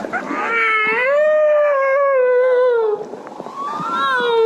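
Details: A whale gives a long, drawn-out, loud and shrill tonal moan, smooth and resonant with rich overtones, that rises, holds a wavering tone, dips, then swoops upward again, with faint clicks in the background.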